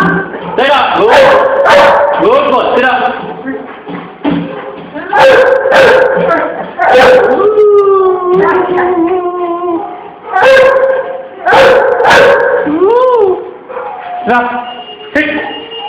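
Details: A 3-month-old Great Dane pup gives short whining, howl-like yelps while a person gives commands like "sit, down" and "good boy". Finding: Great Dane.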